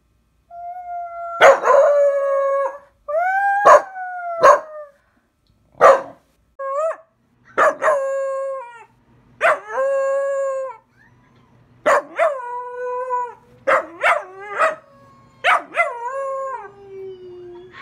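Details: A Pembroke Welsh Corgi puppy, which owner says howls on hearing ambulances or other howling, gives a series of short, wavering howls with sharp yelps between them; Pembroke Welsh Corgi.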